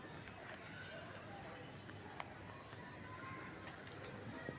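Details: Night-time cricket trilling in a very even, fast pulse of high shrill notes, steady from start to finish over a soft background hiss.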